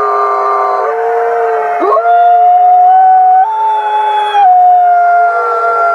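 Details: Captive gray wolves at a wolf conservation center in South Salem, New York, howling in a chorus: several long steady tones held at different pitches, some stepping upward, overlapping continuously.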